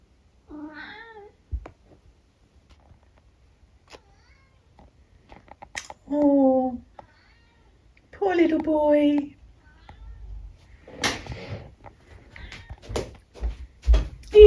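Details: Eric, a fourteen-year-old pet tabby in the UK, lets out clear drawn-out meows, a short one near the start then two louder wavering ones mid-way, among a quiet room with rustling and a few soft spoken words.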